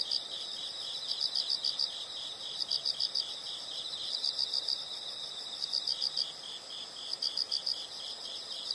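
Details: Insects sing in regular rhythm, each phrase a brisk run of four to five sharp high pulses, about one and a half seconds apart, over a constant piercing drone.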